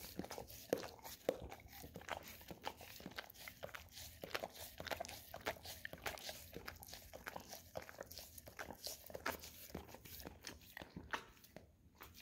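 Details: Golden Retriever at home lapping peanut butter off an Orapup tongue-cleaning brush; fast wet licking clicks, nearly two per second, with scraping and smacking noises throughout, softer near the close.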